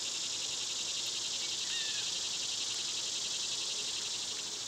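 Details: Cicadas in summer, a dense, unbroken high buzz that holds steady throughout, with one faint short whistled bird note partway through.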